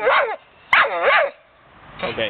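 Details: China, a female blue pit bull kept as a pet, gives short voiced yowling calls with arched, wavering tones: one burst, a longer doubled one, then a softer trailing call, separated by quiet gaps.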